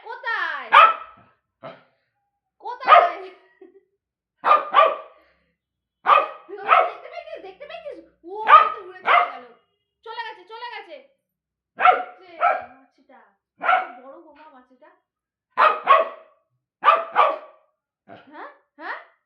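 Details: Repeated sharp barking from Bozo, a pet dog, comes in pairs and singles every second or so throughout, with people talking between and over the barks.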